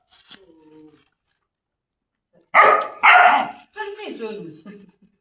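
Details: Chained German Shepherd, first time in chains, lets out two loud rasping barks in a row, followed by a lower growly vocalisation; faint voices before.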